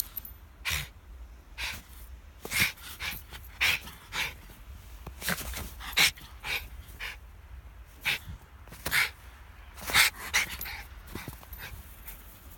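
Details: Schipperke dog out on a snow day, short breathy bursts of panting or snuffling, irregular, some spaced about a second apart, with a few faint squeaky tones mixed in.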